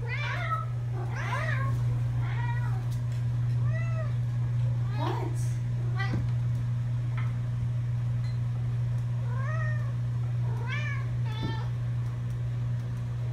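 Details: Pet cats meowing without pause on a trip to camp, their arched, sometimes strained meows repeating about every few seconds, mixed with a person talking and a loud steady low hum.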